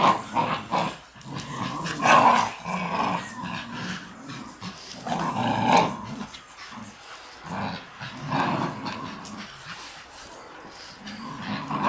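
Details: Shiba Inu dogs, three of them, tugging hard in a game of tug of war; throaty growls come in long rolling surges with short pauses between, strongest around the second and sixth seconds.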